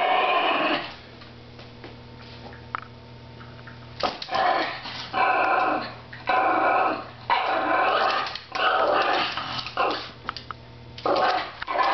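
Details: Chunky Chihuahua under a table growling at another dog, a quiet hum at first, then from about four seconds a series of harsh, rasping growl bursts, each lasting roughly a second, rising and falling in loudness.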